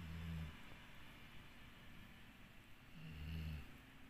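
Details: Dixie, a sleeping dog, snoring: two low rumbling snores about three seconds apart, each roughly half a second long, over steady faint background hiss.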